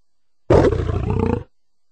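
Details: Lion giving a single rough, deep roar lasting about one second, harsh and growling with a rumbling low end, starting abruptly and fading quickly; no other sounds, with silence before and after.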